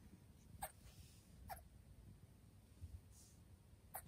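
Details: Senegal galago (bushbaby), a young female kept at home, calling over and over at a look-alike object she seemingly took for another creature. Abrupt, sharp chirps come singly at uneven gaps, with a fainter breathy sound between them. Faint room hum.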